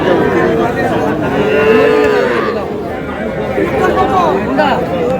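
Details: Small bull calves, roughly three and a half to four months old, traded at the Aftabganj livestock market in Noakhali, Bangladesh, on Tuesday, 21 July. Long, steady, droning moos sound near the start and middle, surrounded by constant crowd talk.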